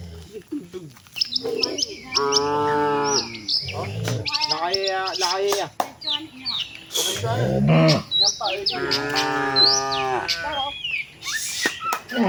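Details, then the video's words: Cattle herd heading to its shed, several tame cows lowing: two drawn-out harmonic moos around the two- and ten-second marks with shorter calls between, amid busy bird chirps and a few clicks and knocks. "suara sapi moo,perjalanan sapi lembu jinak menuju kandang bersama kawanannya"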